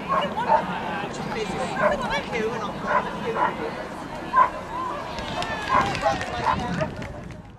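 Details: Eddie, a Pembroke Welsh Corgi, at his first outdoor agility show, held with the Shire Horse Show at the East of England showground on 21 March 2010; short barks about once a second under a public-address announcer and crowd chatter.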